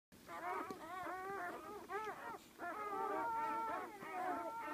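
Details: Newborn Great Dane puppies from a litter of twelve, several crying together: overlapping wavering whines and squeals with rising and falling arched tones, nearly continuous, briefly pausing around two seconds, one steadier high whine near the end.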